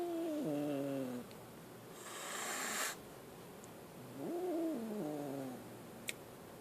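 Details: Scared kitten giving two drawn-out, wavering meows that slide downward at their ends, the pair separated by a harsh, breathy hiss-like burst, with a faint click near the finish.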